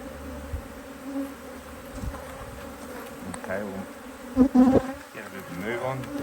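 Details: Open HiveIQ beehive in Australia, mid-Autumn 2023, honey bees busy in fine weather while a new box is added; a continuous low buzz with a fainter upper tone, joined near the end by short bursts of human speech.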